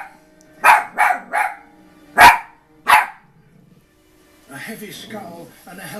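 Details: Five-month-old puppy barking at buffalo shown in a television documentary: five sharp, harmonic barks in quick uneven succession, then a documentary soundtrack with narration and music.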